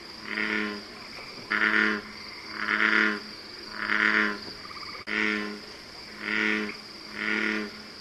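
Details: Bullfrog giving seven or so deep, twangy croaks at a regular pace of about one per second. A few notes sound harsher and louder, and a faint continuous high hum persists behind them.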